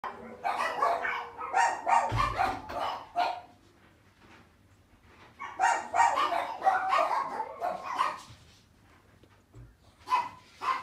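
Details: Chihuahua × Shih Tzu mixed-breed dog yapping in rapid high-pitched barks, two dense bursts of a few seconds each separated by a quiet pause, with a short final flurry at the end.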